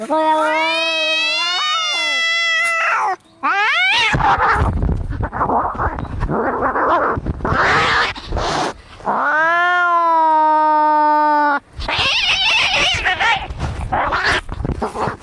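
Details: Angry cats fighting, used as a sound to scare off rats: long drawn-out wailing yowls that rise and waver, broken by harsh hissing, spitting bursts, then more sustained yowling.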